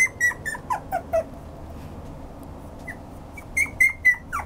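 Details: A toy poodle indoors on 5 July 2014 lets out squeaky, whistle-like whines, a few quick falling notes, then a pause and another cluster of high, level squeals.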